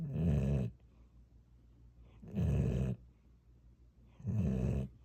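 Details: Pet dog snoring indoors, a lullaby-like sleep sound: deep, rumbling low snores lasting under a second, three of them, about every two seconds, with quiet breathing between.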